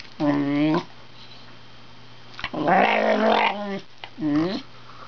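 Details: Male Wire Fox Terrier 'speaking', making talk-like vocal sounds: three drawn-out, wavering, harmonic yowls of under a second each, the middle one rougher and noisier, separated by quiet pauses with a steady low hum.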